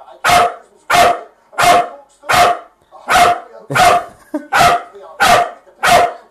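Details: Wire Fox Terrier, male, barking nonstop at his owner indoors to be let outside to play: nine loud, sharp, evenly spaced barks, one about every 0.7 seconds, each a brief explosive burst.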